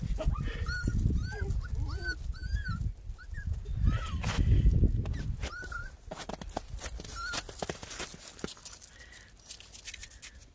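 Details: Several 11-week-old Miniature Pinscher puppies, filmed 21 February 2021: quick high yips and short whines tumble over each other for five seconds, then fade to scattered single squeaks amid rustling and handling noise.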